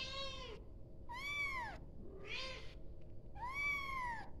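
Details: Four insistent kitten meows calling for the mother, each a bright arched wail rising and dropping, coming in quick succession with short gaps, one fainter lower cry trailing behind, over a quiet hum.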